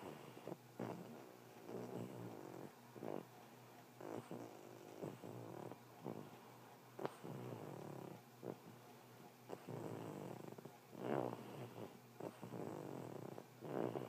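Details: A sleeping bulldog snoring: rough, rattling, low breaths that rise and fade in uneven bursts about once every one to one and a half seconds, with quiet gaps between them.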